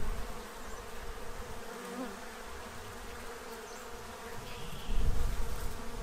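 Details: Low hum of bees feeding to stock up for winter in Central Illinois, a broad, uneven drone that swells in a brief loud burst near the end.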